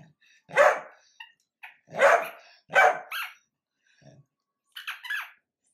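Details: Sausage dog giving loud, rough barks in a small room, three strong barks roughly a second apart, a short pause, then a fourth, higher and more strained bark with a faint growl.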